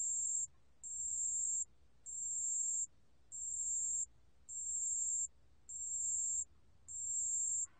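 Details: ['Pale bell cricket song, from a 2020 National Institute of Biological Resources recording: seven high, thin, ringing trills, each under a second long, repeated steadily about once every second over a quiet background.']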